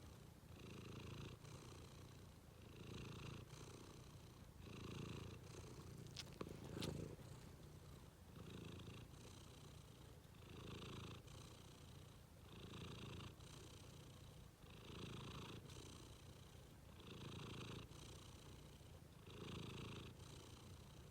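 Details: Cat relaxing at bedtime, purring in a long even rumble that swells and fades in regular breaths roughly every one and a half seconds, with a brief faint click midway.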